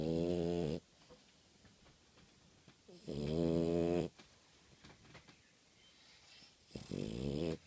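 A French Bulldog snores in loud, rasping, buzzy bursts about every three seconds.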